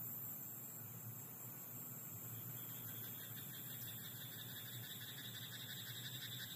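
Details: Night-time croaking of a frog in a rice paddy, fast rattling pulses starting partway through and continuing evenly to the end, set against a steady low hum and soft high-pitched hiss.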